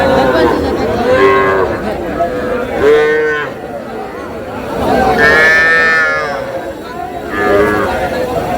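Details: Young bull and heifer calves at Ambari cattle market in Dinajpur, mooing repeatedly: drawn-out harmonic calls about every two seconds, some rising and bending, with faint crowd chatter behind.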